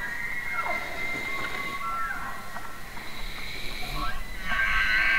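Elk bugling: high, whistled tones that hold steady, then slide downward, overlapping one another.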